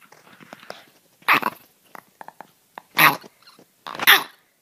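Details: A dog gives three loud, harsh barks spaced a second or more apart, each a short broad burst, with soft rustles and small clicks in the quiet gaps between them.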